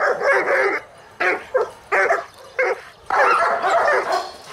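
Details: Boris the Dobermann, 14 months old and neutered, walking in the city and known for aggression toward dogs and felines; loud, rough barks in uneven bursts, some long and drawn out, others short and clipped.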